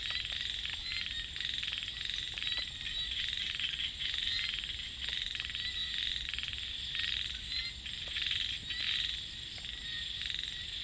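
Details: A dense night chorus of small frogs in a rice field, with steady high cicada or insect trilling underneath.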